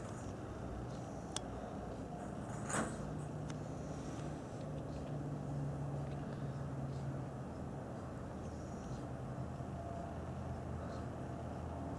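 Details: A steady low vehicle-like rumble fills the background, broken by a few sharp clicks and taps, with no animal voice.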